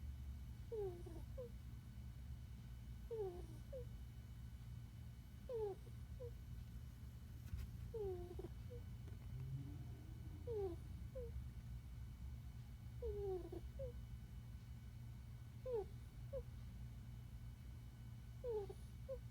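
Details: Sleeping puppy giving a squeaky snore indoors: short high squeaks that slide downward, each followed by a fainter chirp, repeating roughly every two and a half seconds over a steady low hum.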